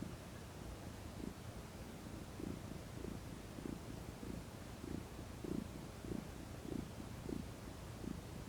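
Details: Purring domestic cat, a female lounging in the sun and relaxing; deep rhythmic rumbling purr with clear pulses roughly twice per second, even and continuous.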